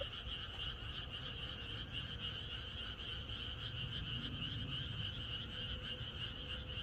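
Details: Many frogs croaking together on a rural Korean night before rain, a steady overlapping chorus of rapid pulsed trills that never pauses, with a low rumble underneath and a faint thin tone.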